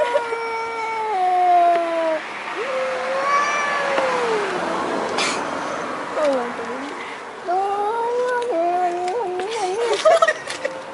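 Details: Domestic cats making strange noises: a string of varied meows, some falling, some wavering and warbling up and down, with a human voice and room noise in the background.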